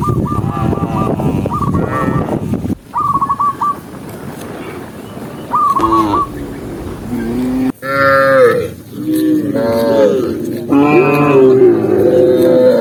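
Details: Tame cows herded along a green forest path; short clipped higher calls in the first half, then several long, loud moos with strong harmonics, some sliding downward, from the herd.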